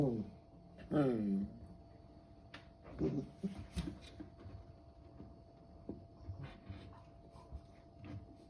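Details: A 12-week-old corgi puppy in playful "monster mode" gives a whiny, falling yelp, then short, grumbling barks and growls; recorded 7 September 2021.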